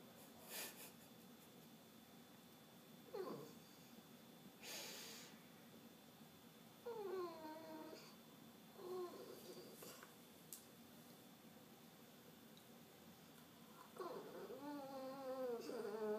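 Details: Piggy, a cranky French bulldog, indoors in a small room, gives short whiny, moaning grumbles in scattered bursts with bending, harmonic tones. The bursts are separated by quiet breathing and snuffling.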